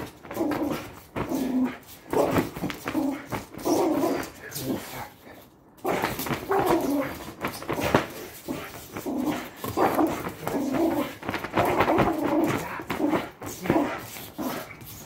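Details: Patterdale Terrier pulling in a tug of war workout, giving a run of gruff, pulsing growls that surge every second or two across the whole stretch, mixed with scuffling and thumping from the play.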